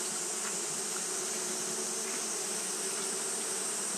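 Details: Japanese honey bees fanning nonstop on a hot day: a steady, unbroken hum with a low drone and a brighter overtone band, plus a constant high hiss, with no pauses or changes in rhythm.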